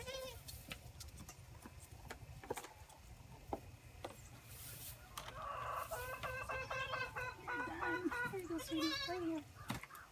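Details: Six orphaned Boer goat kids being bottle-fed at a wooden feeder, recorded by iPhone on a gate; after bumps and handling noise, a long stretch of rapid, stuttering bleats with quavering notes, a woman praising them.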